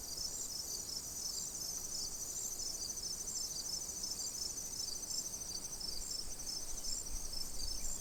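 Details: A steady chorus of crickets at a calm pond: continuous high, shimmering trills with evenly spaced pulses layered over a constant ringing hiss, and a faint low outdoor rumble beneath.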